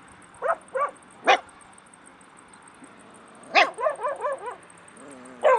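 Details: Stray puppies in Bursa, Turkey, calling in short bursts: a few thin yips, a pause of two seconds, then a quick string of wavering whimpering yelps, over a steady high hum.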